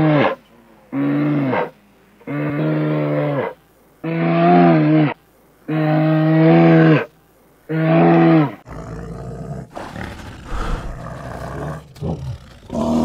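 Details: A grizzly bear, recorded in the USA, calls in five drawn-out, deep, tonal moans, each about a second long with short pauses between. The series ends in rougher, broken grunting and huffing.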